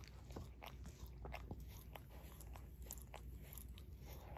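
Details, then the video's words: Brief burst of a Shorkie's paw licking: quick, wet, crackly smacks repeating unevenly, quiet and close, no people heard. "Barry Licks His Paw ASMR DOG LICKING"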